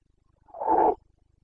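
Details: Carpathian red deer stag in the mountains of Bucovina during the breeding season, 29 September 2022, giving a single short hoarse roar, the rutting call known locally as boncănit, loud and mid-pitched, with a quiet background.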